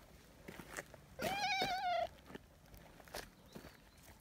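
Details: Nyahha, a friendly tabby community cat, meows after its companion steps a little away: one drawn-out wavering meow near second one, with rustling and footsteps around it outdoors.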